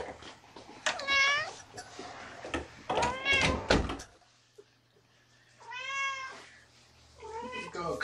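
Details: Kittens from a litter of four, indoors at a rescue shelter after transfer from Lewis County, Washington, during an afternoon session: several short, rising-then-falling meows spaced a few seconds apart, mixed with people talking and handling noises.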